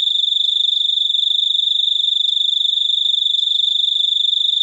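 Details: Cricket giving a steady, high, shrill trill of rapid even pulses that runs unbroken through the whole stretch, with fainter overtones above and otherwise quiet surroundings.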